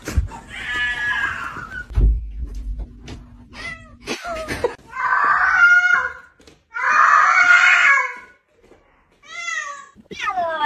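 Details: House cat indoors giving several meows: a wavering mew near the start, then two long, loud, strained meows around six and eight seconds, and short rising mews at the end, with clicks and handling noises between.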